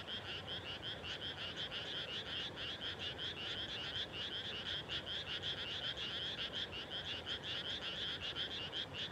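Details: Frogs calling at dusk on 30 May 2021, just after rice planting, in the evening cool of farmland. A dense chorus of rapid, rattling croaks rises and falls in pulses, many voices overlapping continuously with no pauses.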